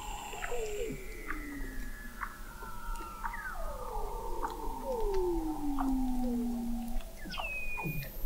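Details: Weddell seals beneath thick sea ice in McMurdo Sound, Antarctica, recorded November 2017 by an observatory 21 m below the ice: overlapping descending whistles and glides, a long falling trill near the middle, sharp chirps and clicks throughout.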